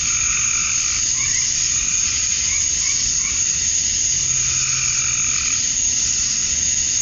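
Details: A dusk summer chorus in Georgia, USA, of male cicadas chirping to attract females: an even, high, sizzling drone, with several short lower croaking notes from other animals scattered through it.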